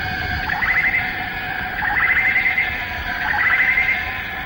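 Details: Cicadas in the Malaysian rainforest, recorded between the late 1950s and early 1960s. Males chorus at dawn or sunset. Pulsing buzzy trills swell about every one and a half seconds over a steady droning hum.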